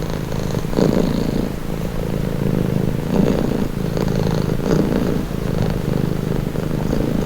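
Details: Cat's rumbling purr held close and unbroken, low and buzzy throughout, with gentle louder pulses every second or two.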